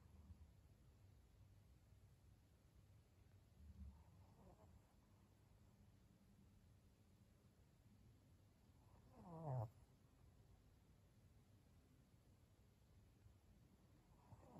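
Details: Pug Maria, a senior fawn female aged 12, at home in Japan in November late at night; a soft low snuffle early on, then one louder rasping snort-like breath midway, otherwise a near-silent room with faint background hum.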